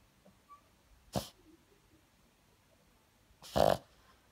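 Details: A female Boston Terrier with a cold gives two abrupt, breathy snorts through the nose about two seconds apart, the second louder and slightly longer.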